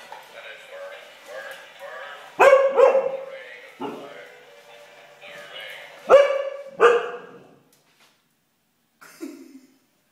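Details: Siberian husky barking at a robot chicken: four loud, harsh barks in two close pairs, about four seconds apart, over soft background chatter and music, with a final quieter woof.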